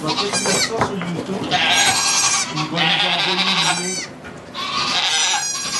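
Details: Goat during the birth of two kids, sugar shack in Quebec, Canada, recorded with an iPod Touch 4G; three long, harsh bleats of about a second each, with French voices murmuring throughout.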